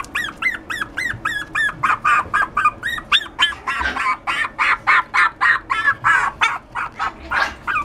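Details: Poodle x Maltese mix dog giving a rapid, steady run of high, yappy barks, roughly three to four per second. Each note is short and arched with a ringing, harmonic tone, and the run continues evenly for about eight seconds.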